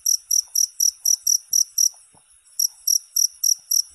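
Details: High, buzzy cricket chirps in quick succession break off for about half a second, then resume at the same rapid, even rate.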